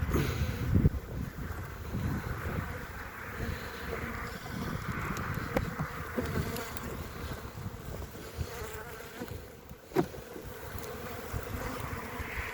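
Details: Honey bee colony covering three frames, hive opened on 14 February 2021 during winter. A steady low hum from the mass of bees, with scattered clicks and knocks from handling the hive.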